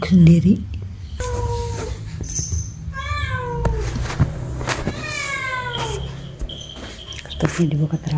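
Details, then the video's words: Cats meowing angrily at one another. Several separate meows, some falling in pitch and some arching, are spaced a second or two apart over a low hum, with thumps and knocks. "Cats meowing angry to the other"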